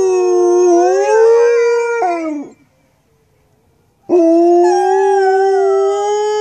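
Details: Two Alaskan Malamutes, young cousins born three days apart, howling together: long, smooth, rich-toned howls that rise slightly and hold steady, overlapping voices, broken by a brief silence near the middle before a second sustained howl.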